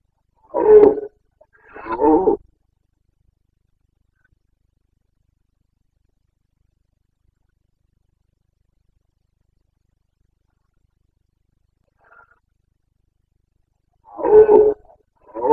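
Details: Carpathian red deer stag roaring during the breeding season in Bucovina, 29 September 2022: two harsh, gravelly bellows close together, a long silence, then another roar near the end.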